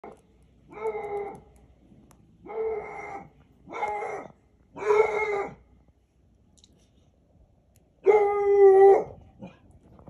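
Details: Pet dog barking very loudly in long, drawn-out, howl-like calls, five in all. Four come in the first half, about a second apart, then a pause, then a final stronger one. No other sounds are heard.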